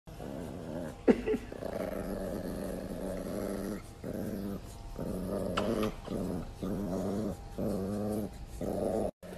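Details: Angry Chihuahua growling indoors in repeated rough, buzzy bursts of one to two seconds with short pauses between them, over background music.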